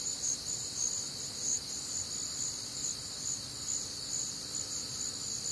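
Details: Warm, humid Midwestern summer night filled with cricket song: high, bright chirps pulsing over a steady shrill insect drone.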